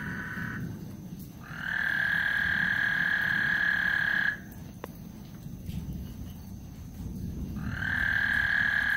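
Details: Frog serenade on Lake Houston ahead of a thunderstorm, the high buzzing trill starting and stopping in bursts: a long stretch of chorus, a pause of about three seconds with a single sharp click, then the chorus resumes, over low rumbling noise.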